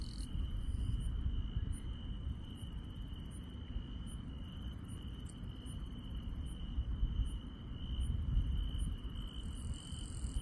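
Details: Night insects in the countryside keep up a continuous high-pitched trill, joined by brief, irregular, very high pulses; a low, steady background rumble sits beneath the chorus.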